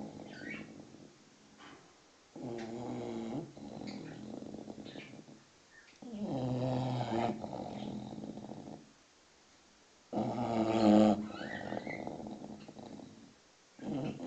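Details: English Bulldog, six months old, sleeping and snoring: four separate rough, buzzing breaths a few seconds apart, separated by near silence, while birds twitter faintly nearby.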